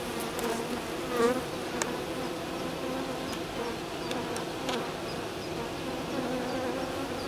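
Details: Honey bees on a hive's landing board, from a colony in swarming fever, one bee dancing in half circles and waggling its abdomen: a steady, dense, low droning hum with layered tones, a few brief clicks and faint ticks over it.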